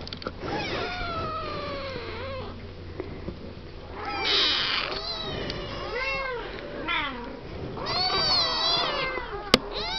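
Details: Siamese kittens aged seven weeks chattering in their pen; long wavering meows rise and fall, several kittens calling over one another, with a sharp click near the end.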